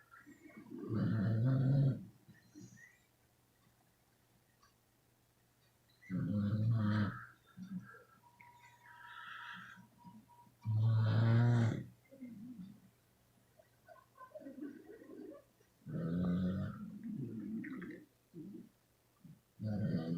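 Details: Twelve sleeping beagles snoring indoors, with deep rumbling snores lasting one to two seconds, coming roughly every four to five seconds, mixed with softer breathy sounds in between.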